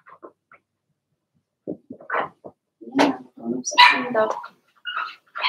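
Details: Six Blenheim Cavalier King Charles Spaniel puppies, Remy's first litter, in their pen. Scattered yips build into a cluster of shrill, irregular barks and squeals, with voices nearby.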